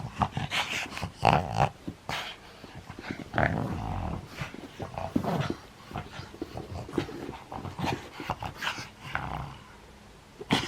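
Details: A nine-year-old pug plays indoors in Japan, recorded 11 January 2020: rough, raspy growling bursts and snorting huffs come in quick irregular clusters, with short pauses between flurries of noisy breaths.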